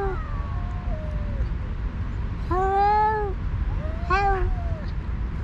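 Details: Two alpha stray cats, leaders of rival groups on a cat island, trade drawn-out harmonic yowls while the other cats eat a feast; three long wavering cries, the middle one loudest, over a steady low rumble of background noise.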